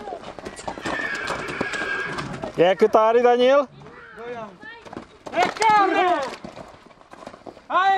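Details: Stallions at Gura Humorului, Bucovina, in 2023, give two loud, shaky neighs with wavering pitch, each about a second long, separated by a pause, amid people talking and background chatter.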